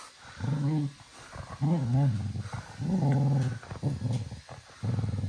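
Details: Manfred, a little cocker spaniel full of energy at evening playtime around 10 pm, gives low, throaty growls in bursts of about a second, rising and falling in pitch, with brief quiet gaps between them.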